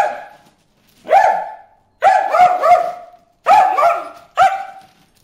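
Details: Excited high-pitched barking from Bruce the dog aimed at fish in a water hole, four sharp bursts of clipped yelps, some doubled or tripled, with brief quiet pauses between.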